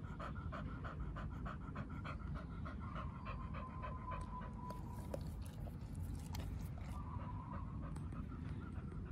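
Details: Oliang, a pit bull, pants while eating raw beef trachea given as a raw-fed snack. Quick, breathy puffs come about three per second over a low, steady rumble, with a faint tonal hum running through the middle.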